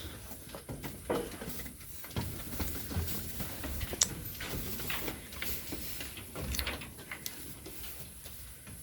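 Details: Irregular knocks, clicks and rustling against a low background hum, with no clear animal call.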